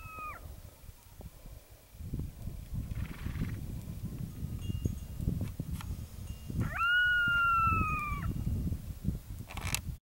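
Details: A coyote howls at sunset: a brief earlier note trails off, then a long, clear howl swoops up and holds a steady, slightly falling pitch for over a second over a constant low wind-like rumble.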